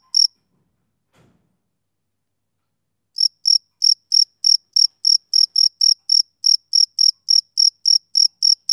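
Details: Male cricket of summer evenings, a lone chirp, then near silence for three seconds before steady high chirps resume at a regular pace of roughly three per second.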